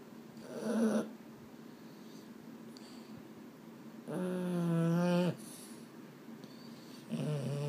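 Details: Boston Terrier, one of two males named Mambo and Cub, at bedtime and unable to sleep indoors: a brief low grunt, then a drawn-out, nasal, moaning groan about a second long with a slight wavering pitch, and another groan starting at the end.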